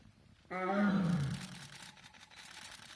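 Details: A tiger that came out in front of onlookers gives one deep, throaty roar that swells suddenly, then sags and fades.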